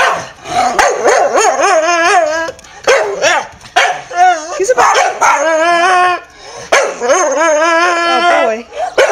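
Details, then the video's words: Staffordshire Bull Terrier Henry, excited and hyper as his owner gets home from work before the evening walk; three bursts of harmonic, whining, talking-like yowls with short pauses, and a voice at times. "Staffordshire Bull Terrier talking & barking"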